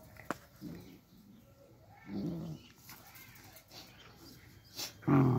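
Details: Puppies kept behind a fence while they grow, after people tried to steal them; short harmonic barks or yelps sound once after two seconds, then again loudly at the end, over steady background noise and faint clicks.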